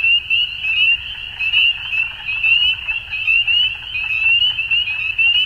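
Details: Evening frogs at dusk keep up a thick, piercing wall of chirps, quick rising notes overlapping into one shrill band, rhythmically pulsing a little more than once per second.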